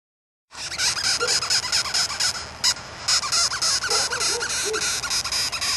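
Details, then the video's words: Chirping bug found in the morning, giving rapid, high, scratchy chirps repeated several times a second, with a few faint lower squeaky notes mixed in. "Chirping bug"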